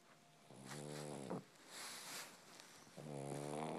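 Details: A pug gives two low, buzzy, snore-like rumbles that sound much like a kitten's purr.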